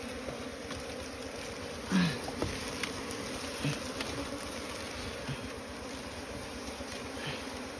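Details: Steady low hum of an Asian honey bee (Apis cerana) colony nesting in straw, a continuous drone with a few soft clicks and thumps, and distant voices.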